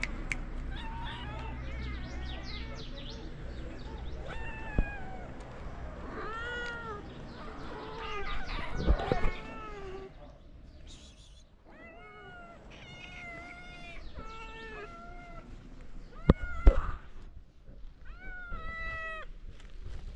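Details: Moroccan street cats welcome the person who feeds them with many clear meows, rising and falling, some long and drawn out, coming in two busy bursts with a quieter gap between, plus occasional sharp knocks.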